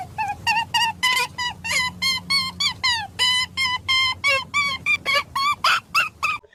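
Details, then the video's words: A rabbit in danger screams in a rapid series of shrill, harmonic squeals, each bent in pitch like a crying baby, a rare sound made only in near-death situations. "ஆபத்து வர நேரத்துல முயல்கள் இந்த மாதிரிதான் சத்தம் போடும்."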